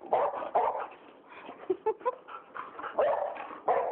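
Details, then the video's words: A boxer and a rottweiler at home barking and whining to ask for dinner: bursts of short, harsh barks mixed with higher whimpering yelps, irregular and overlapping, with brief pauses between outbursts. "We want dinner!"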